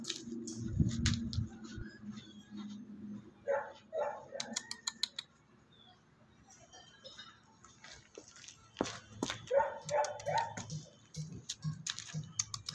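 A Labrador puppy gives short, high yips and small barks in scattered bursts, with low rumbling and faint voices.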